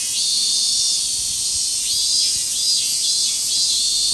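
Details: Summer forest chorus of many cicadas, mainly Minmin cicadas: a dense, continuous high shrill hiss holding steady throughout, with faint pulsing swells layered in the upper range and no other clear sounds.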